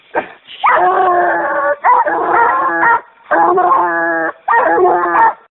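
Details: A young male Treeing Walker Coonhound pup, being conditioned for fall, gives long, drawn-out, angry-sounding bawling tree barks in quick succession.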